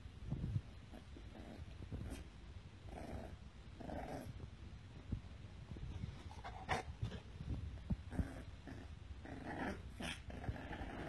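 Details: Pit Bull growling quietly in a low, rough rumble that runs unbroken for about eleven seconds, with brief noisy bursts and snort-like puffs scattered through it; no other clear sounds.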